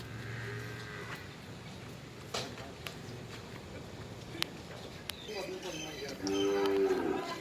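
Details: Nili-Ravi buffalo at a dairy farm in Multan, Pakistan; a faint low lowing opens, then a louder harmonic moo near the end lasts about a second, with background clatter and farm noise.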